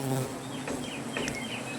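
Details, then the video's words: Angry native honey bees at a wild comb under a tree, disturbed during honey collection: a steady, low droning hum runs throughout, with brief high bird chirps overhead and faint human voices nearby. "রাগী মৌমাছির মৌচাঁক থেকে খাঁটি মধু সংগ্রহ"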